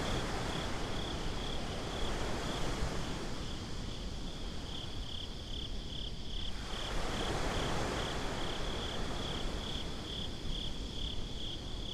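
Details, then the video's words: Crickets chirping at night on a beach, recorded binaurally: a steady high pulsed trill repeating without pause, set against a constant low rush of surf and wind. "Crickets at the Beach"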